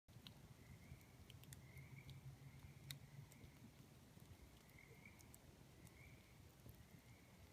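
Tree frogs trill steadily at night, their high, drawn-out notes rising over a crackling campfire.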